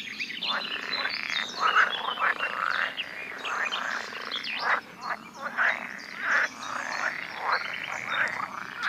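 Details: Chorus of male pool frogs in a Dutch pond on a sunny day, calling to draw females for mating; many overlapping short rattling croaks rising and falling in loudness.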